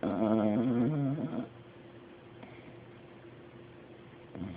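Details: Dog sleeping in a chair snores with a wavering, rumbling breath for just over a second, then near silence with faint room hiss and a soft stir at the end.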